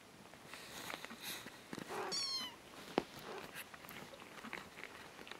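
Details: Kitten indoors giving one thin, high-pitched mew that slides downward over half a second, amid faint background hiss and a single sharp click.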